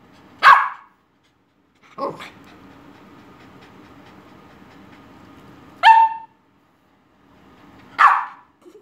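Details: A 6-month-old Cavalier King Charles Spaniel puppy gives sharp, high barks spaced a couple of seconds apart.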